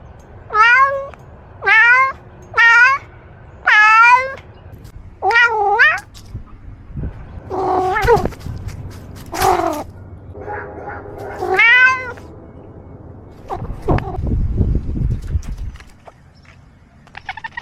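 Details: A domestic cat gives a quick run of five short, rising meows. Longer wavering, strained meows follow, mixed with a few low rumbling noises toward the end.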